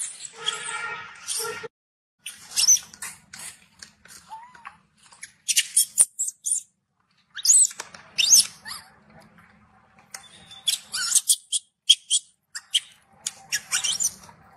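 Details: Angry baby macaque shouting after being refused milk by its mother: an opening tonal, wavering cry, then bursts of harsh, high-pitched screeches in clusters separated by short silences.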